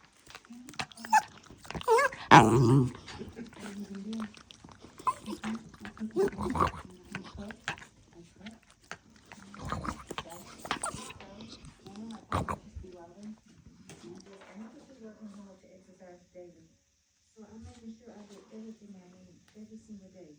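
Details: A female Havanese dog making strange noises while licking the air: irregular low grunting and snuffling with a rapid run of short nasal pulses toward the end, some louder handling knocks early on.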